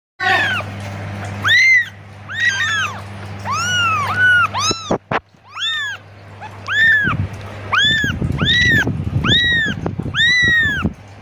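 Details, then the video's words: Kitten calling its mother: a run of high arched mews, each rising then falling, repeated quickly in bursts with short gaps, over a steady low hum. "Anak kucing lucu memanggil ibunya"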